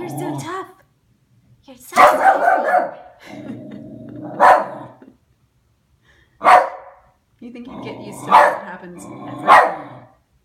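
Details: A West Highland white terrier indoors barking at a new mail slot: sharp loud barks in clusters, several close together then pauses, with whiny vocal sounds and human voices between them.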